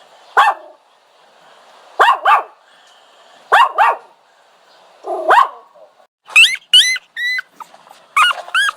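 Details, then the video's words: Whining dog giving paired yelping cries about every one and a half seconds, followed by a run of thin, high, rising whistled whines near the end. "Dog Whining Sound"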